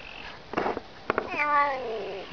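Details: Domestic cat voicing a call said to sound like Russian "ne znayu" (I don't know). A few clicks and knocks come first, then a clear, rising-then-falling meow near the end.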